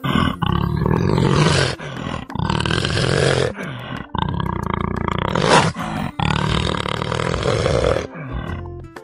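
A leopard gives loud, deep, rasping roars in several drawn-out bursts.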